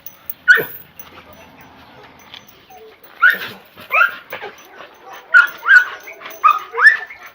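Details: Red-nose pit bull being brought together again with a chocolate red-nose pit bull for mating; loud, high whining yelps and whimpers come in short bursts, clustered near the end, while a man speaks between them.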